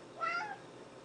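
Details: Timber, an orange and white pet cat, begging for a treat indoors, gives a single short meow with a clear harmonic tone that rises slightly then falls away; quiet room, no other sounds.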